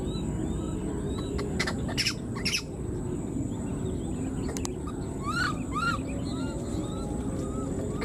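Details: Wild newborn baby monkey, left behind, calling for its mother: short arched squeaky calls with stacked harmonics, rising then falling, in a quick run near the end, over steady background hiss and a few sharp clicks.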